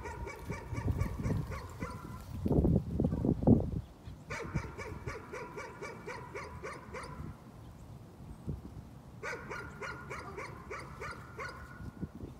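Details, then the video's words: A dog's nuisance barking: after loud low rumbling and knocking at the start, two long rapid strings of yappy barks follow, each several seconds long, with a short gap between them. "Nuisance barking again."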